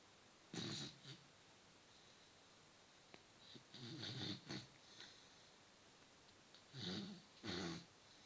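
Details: Sleeping beagle snoring loudly in an apartment: breathy, rasping snores in short bursts, a pair near the start, a longer rough stretch in the middle and another pair near the end, quiet between.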